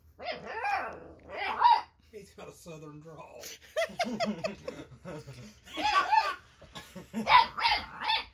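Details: Baron, an eight-week-old Boxer puppy, yapping in reaction to a robotic toy's lights and movement. Sharp puppy barks open and close the stretch, with a person talking and laughing between them.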